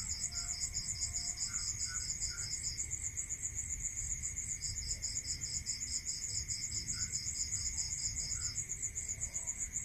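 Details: Rural night sound of crickets: a continuous rapid pulsed trill high up, joined by a second slightly lower trill that stops partway, with faint soft chirps and a low rumble underneath.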